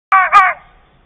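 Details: Caught on a trail camera in a nature reserve at Dotzigen, Switzerland, a red fox gives a single hoarse, tonal bark that breaks into two quick rising pulses.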